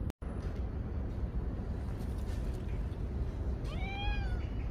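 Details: One of the stray cats fed each morning lets out a single arched, falling meow near the end, set against steady low street noise and traffic hum.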